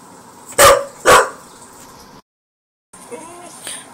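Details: Female dog barking at a cookie jar: two loud, sharp barks half a second apart, then a short silence and softer whining, with a quiet indoor background.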